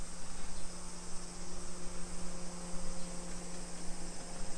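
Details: Cicadas drone steadily in a high, unbroken hiss over a low background rumble and hum, in summer in a modern hillside residential neighbourhood of Nisshin, suburban Nagoya, Japan, at 1 PM on 28 July 2021.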